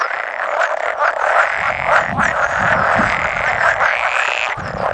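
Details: Pool frog males, around 100 of them at egg-laying on 16 May 2017, with an edible frog joining now and then; loud unbroken wall of croaking and rattling, with soft low rumbles mid-clip.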